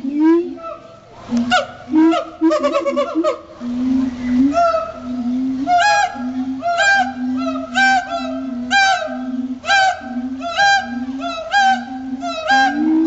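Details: Captive siamangs at Riverbanks Zoo, the day after Christmas, giving a territorial duet song of loud booms and barks amplified by inflated throat sacs. Deep booms repeat roughly every second, interleaved with rapid bursts of sharp, rising barks and shrieks.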